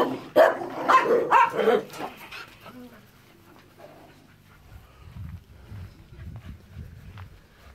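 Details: Rapid run of about five loud barks in the first two seconds from Enzo and Ozzy, the dogs, then fading to quiet low rustling and hum.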